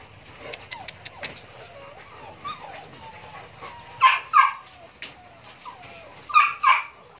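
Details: Male Rottweilers kept as a group; short sharp barks and yips in paired bursts around four and six seconds, with softer whimpers and whines between and high squeaky calls early on.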